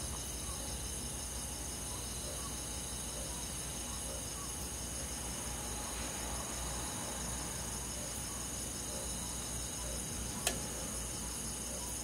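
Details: A continuous high trilling chorus of crickets and forest insects on a summer night in the countryside, steady throughout, broken only by one sharp click near the end.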